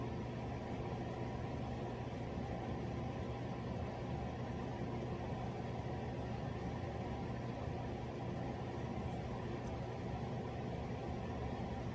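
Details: Only a steady low engine-like hum and broadband noise, with no animal voice.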